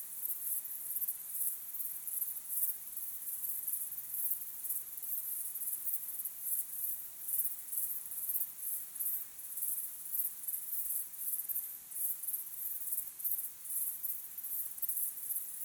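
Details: Crickets chirping at sunset under an evening sky, a natural recording: a steady, very high, shimmering trill pulsing roughly twice a second throughout, with no other clear sounds.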